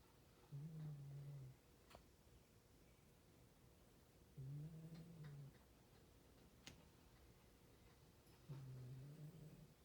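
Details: Miss Paree, a 17-year-old poodle, snores in her sleep while young Stella, just 3 months, sleeps alongside; three low, droning snores, each lasting about a second, come roughly every four seconds in a quiet indoor room.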